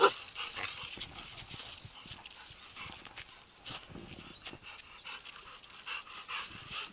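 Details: A 2-year-9-month-old male Rottweiler, 54 kg, pants in quick, breathy bursts while playing in a park, tired out, against a soft, noisy outdoor background.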